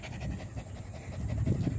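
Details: Indonesian village dog (anjing kampung), 18 April 2021, breathing in deep, rough, low panting bursts close to the microphone, growing stronger toward the end.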